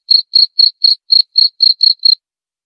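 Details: Cricket chirp used to scare off rats, nine sharp high-pitched pulses at an even pace over about two seconds, then silence; nothing else audible.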